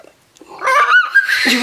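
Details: Maya, a female Siberian Husky and Alaskan Malamute hybrid, screams indoors while giving birth to her first puppy. After a brief near-quiet start comes a loud, harmonic, high-pitched cry that climbs and holds for about a second, ending in a strained wail.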